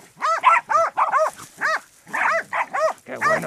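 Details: A Podenco hunting dog bays a wild boar bedded down in a ravine with rapid, ringing barks, about two each second, while the hunter praises him.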